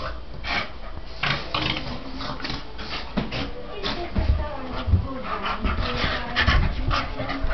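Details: Two Staffordshire Bull Terriers, Dylan and Spike, play fighting: a rapid run of harsh, breathy panting bursts and low rough grunts, loud thumps at intervals, with the noisy scuffle continuing throughout.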